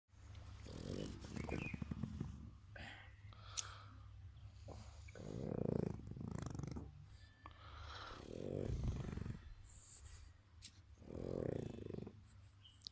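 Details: A sleeping dog snores with low, rasping, breathy bursts roughly every three seconds, each swelling and fading, in a quiet room.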